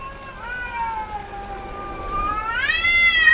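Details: Domestic female cat in heat giving a single long yowl, starting as a low steady moan, then swelling upward into a louder, higher wail at the end.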